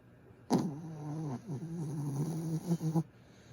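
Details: Griff, a pet dog, makes a low voiced moan while asleep. It starts with a sudden loud onset and holds a droning, slightly wavering tone for about two and a half seconds before stopping abruptly.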